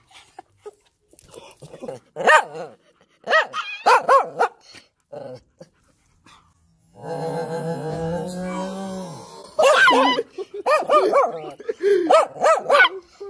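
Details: German Shepherd, worked up and pestering its puppies, gives bursts of sharp, ringing barks. In the middle, a long, steady, drawn-out howl-like tone holds for a couple of seconds before rapid barking resumes.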